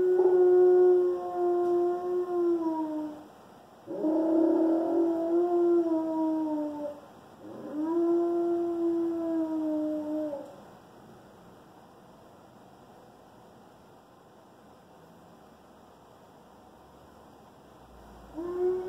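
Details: Loki, a one-year-old Alaskan Malamute, howling for the first time: three long, even, harmonic howls of about three seconds each, gently falling at their ends, separated by short breaths, then quiet before a fourth begins.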